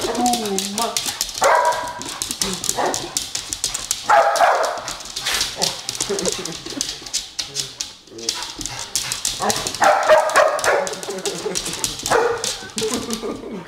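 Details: Sussex Spaniel indoors, chasing a light on the ceiling, gives short barks in repeated bursts. A person talks and music plays in the background.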